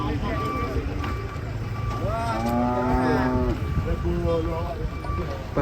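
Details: During truck unloading, as one animal turns aggressive, a loud moo swells upward and then sags back down in pitch over about a second and a half, amid engine hum and chatter from onlookers.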